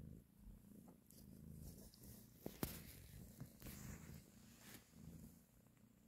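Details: While breastfeeding and caressing her kittens, the mother cat purrs in a low, vibrating rumble, broken by a sharp click and several rustling movements midway before settling again.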